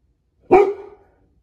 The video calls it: Goldendoodle barking like a guard dog